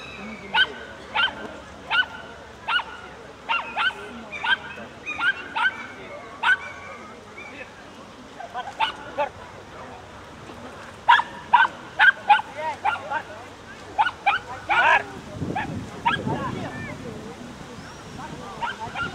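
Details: Miniature Schnauzer at the Ukrainian agility championship in Cherkasy, 9 September 2017, during a Gamblers run: sharp, short barks repeated roughly every half second in bursts, with crowd murmur and handler's voice beneath.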